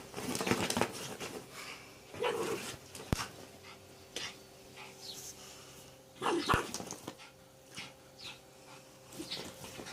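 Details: Dog fighting a snake, giving short rough barks and snorts between bouts of heavy panting, with sharp clicks and scuffling noises.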